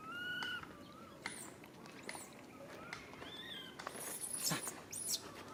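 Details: Young monkey RAIN cries out for mother RANY, who cannot help. Drawn-out tonal wails and short upward squeals come in bursts, with sharp high shrieks near the end over faint background noise.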